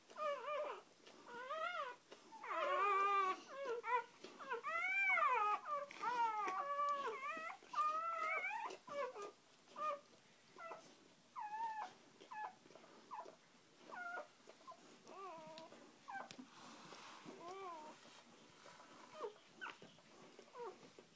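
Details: A litter being born indoors, the mother dog with her first three puppies: shrill, bending squeals crowd the opening seconds, then shorter, thinner whimpers follow more sparsely and softly. A girl speaks briefly afterward.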